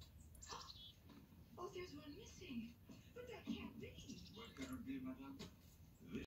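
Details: Siberian Husky. A Siberian Husky gives a string of sustained, yodelling moans, each bending up and down in pitch like half-formed words. The tones come in uneven bursts with short breaks, in a small indoor room.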